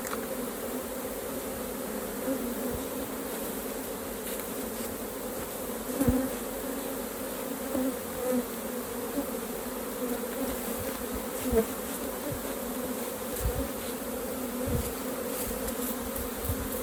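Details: At a hive opened for harvesting raw honey, honey bees keep up a continuous, even drone of many wings. Occasional sharp knocks and clicks from handling the hive cut through the hum.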